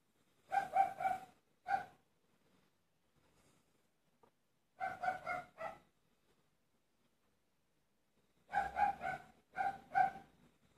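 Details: Dogs barking in Waterside, Derry, on 25 April 2019: sharp harmonic barks in quick bursts of three to four, separated by pauses of a few seconds, with a quiet background between them.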